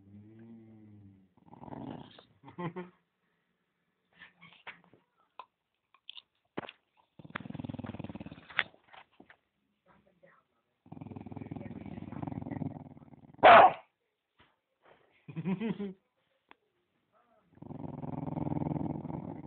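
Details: Dog guarding a bone, growling in low rumbling bursts of one to two seconds separated by pauses, with one sharp snap near the middle, a short whimpering note and soft handling noises between growls.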